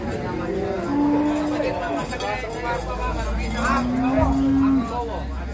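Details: Large fattened cattle being unloaded from a truck give two long, steady, low moos, each about a second, separated by a pause, over constant engine rumble and people talking nearby.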